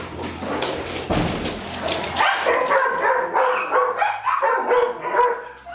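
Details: Playing dogs Darwin, Vader, Bars and Boudicca, July 8 2010: rough scuffling noise gives way to a run of short yipping barks and whiny growls, loosely repeated, over a steady low hum.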